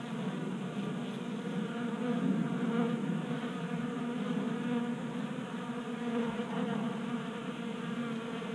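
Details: Honey bees feasting at a tabletop 3D printed feeder in a Colorado garage in January, active in late warmth; a loud, full humming drone of many wings, rising a little midway then holding steady.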